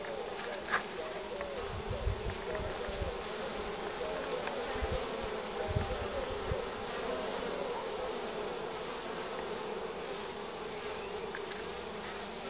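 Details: Crowd of honey bees at the hive entrance carrying heavy pollen loads, strong sun and cool air, 24 March 2019 morning; sustained layered droning with scattered low thuds in the first seconds.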